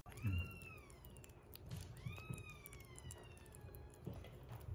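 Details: Rescued kittens at 47 days into their growth record, indoors, where one eats weaning food and a baby cat drinks milk; two moderately loud, drawn-out meows, each gently falling in pitch, over a low rumbling background.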